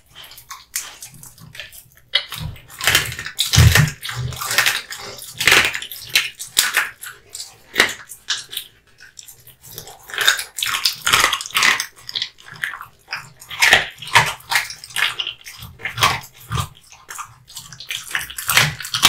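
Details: Wet, squelching chews and bone crunches come in clustered bursts as Kotetsu, a male American Bully, works at hung raw meat and bones indoors. The rhythm is steady for most of the recording, with brief lulls between bites.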